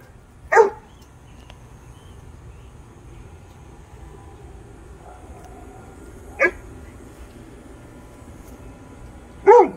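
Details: Great Dane confronting a rat, fearless: three sharp, loud barks spread widely over about ten seconds, with long quiet gaps of low background noise between them.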